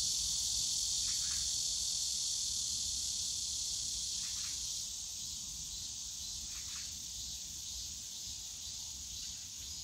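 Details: Cicadas in the bamboo grove of Yongsan Family Park, Seoul, on a summer day: a steady, dense high-pitched shrill drone holds throughout without pause, fading slightly after four seconds, with a few faint soft brushing bursts underneath.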